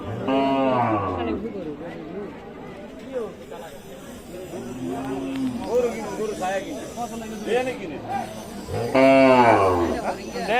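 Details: Cattle at a crowded sacrificial cattle market during the 2024 trading season, giving several loud, drawn-out moos with rich harmonics, one near the start and a strong one near the end, amid steady human chatter and voices.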